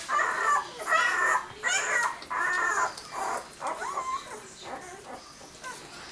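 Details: Six-day-old dog pups giving high whining, whimpering squeals in quick overlapping bursts, several short rising and falling cries per second, fading toward the end.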